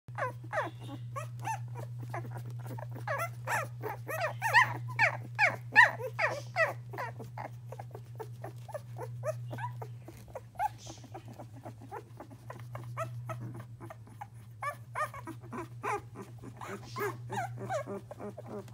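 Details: English Springer Spaniel puppies, nearly two weeks old, moving around indoors. Rapid, uneven short squeaks and soft grunts overlap almost continuously over a steady low electrical hum.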